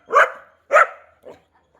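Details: Labrador Retriever at home, where a new puppy has joined a dog named Kavi: two sharp, bright barks about half a second apart, then a softer third bark fading out.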